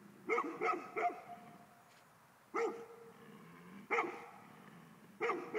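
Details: Male Golden Retriever barking: a fast triple burst, then single barks at about one-and-a-half-second intervals, some with a short trailing tone, loud and harmonic over a quiet background.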